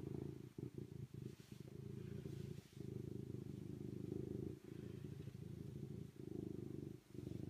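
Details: Serval giving a loud, deep, throbbing purr in long unbroken stretches, interrupted only by a few brief dips where the breath changes.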